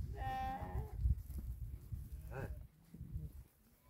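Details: Sheep from a herd of about 2000 tended by eight Tibetan Mastiffs in Dhorpatan, Nepal: a short wavering bleat, then a second brief bleat, over low rumbling and handling noise.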